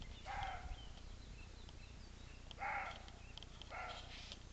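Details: Roe deer giving three harsh, throaty barks at uneven intervals, each short and clipped, over constant low rumbling noise.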